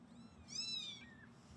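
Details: Newly arrived feral kittens, not yet named, being fostered by cat rescue volunteers in Los Angeles. A single high, thin meow rises, then slides downward over about half a second against a quiet indoor background.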